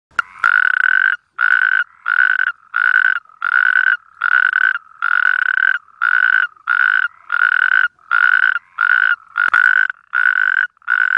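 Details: Natterjack toad mating call: a loud, rolling trill pulsed in bursts about half a second to a second long, repeated steadily with short gaps, around thirteen bursts, no other sounds.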